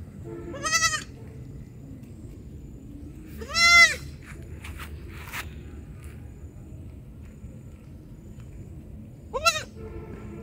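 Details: A baby goat calls with three high, wavering bleats, spaced several seconds apart.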